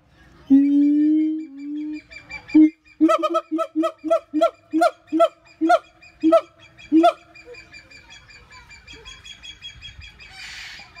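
A siamang gives a drawn-out hoot, then a rapid run of loud, honking barks that rise and fall.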